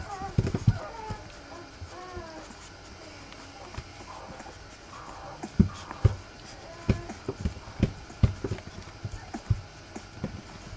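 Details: Rough Collie puppies three weeks old, a litter indoors, give a few short rising-and-falling whimpers early on, followed by scattered thumps, clicks and shuffling sounds with faint background noise.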